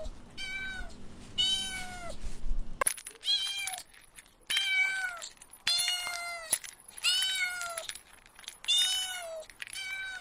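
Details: Repeated kitten meows while chasing butterflies on grass: about seven clear, tonal, slightly descending cries in quick succession, each under a second, after an abrupt cut early on; faint clicks and a steady high whine behind.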